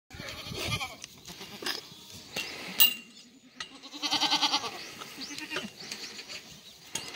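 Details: Black goats in a farm exercise yard in Gimhae, South Korea, on a clear Saturday afternoon in December: loud wavering harmonic bleats around the middle, with shorter bleats and clattering knocks throughout.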